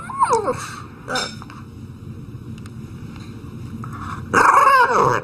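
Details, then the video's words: Dog giving two short, harsh bark-growl bursts near the start, a quiet stretch of low room hum, then a louder, drawn-out whining bark with a falling pitch at the end. "Funny Dog Sounds And Barks"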